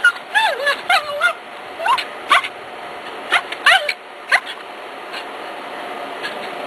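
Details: Cairn Terrier, July 2006, hunting a gopher: a run of high, bending whines and clipped yips in bursts about every half second, fading to occasional faint yelps near the end, with a person speaking softly.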